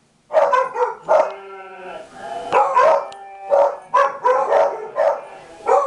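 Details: Pet dogs, including a beagle named Lucy, Travis and Rusty, bark at a played recording of dogs barking inside a house; loud sharp barks in bursts with a brief gap, some barks stretching into a longer yelping call.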